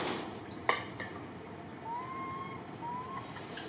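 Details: Little orphan monkey named Martin sobbing as he calls for Malida; two drawn-out whining cries, each rising then holding steady, the second shorter, after a sharp click, with a soft hissing background.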